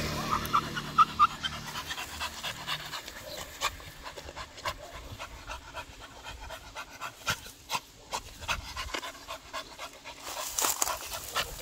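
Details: During a morning walk a beagle pants in uneven, breathy puffs, with a few louder bursts scattered among quieter breathing and light outdoor noise.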